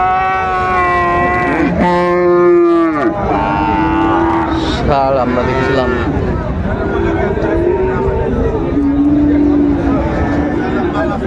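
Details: Bull calves of Friesian and cross breeds at the Raniganj market in Dinajpur, Bangladesh, 26 December 2024: a sharp, bending low bellow, then a run of lower drawn moos, among haggling voices and market noise.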